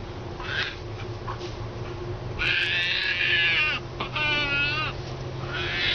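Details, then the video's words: A hand-reared female baby striped hyena, frightened of one distrusted person and hiding defensively between two chairs, gives high, harmonic squealing whines that waver and slide downward. "Baby hyena gets scared and makes adorable sounds"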